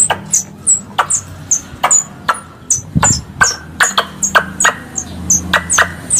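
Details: Squirrel lure calls for hunting: rapid high-pitched descending chirps alternating with snapping clicks, a brief low thump near the middle, low hum underneath.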